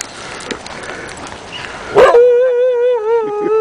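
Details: Afghan Hound named Salma on a snowy walk on 24 March 2009, barking at a playful Doberman. Faint rustling and crunching come first, then one long, steady, harmonic wailing bark that wavers slightly in pitch.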